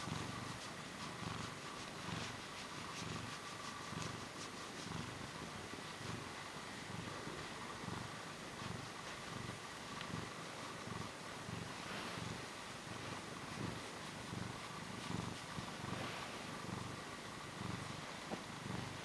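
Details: A short-tailed Portuguese cat purrs close to the microphone, a long unbroken low vibrating rumble rising and falling with each breath, quiet room.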